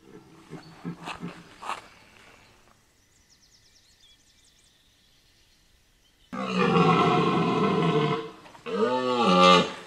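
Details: A red deer stag gives deep, hoarse rutting roars, loud and drawn out with harsh groaning tones, during the rut at Chambord, Loir-et-Cher, France, where wild boar are also present.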